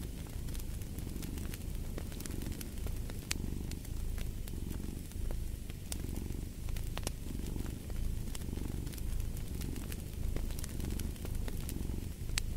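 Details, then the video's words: Cat purr for deep sleep and stress relief: a continuous low throbbing rumble rising and easing in regular breath cycles, with a crackling fireplace popping brightly throughout. "Purring of a Cat"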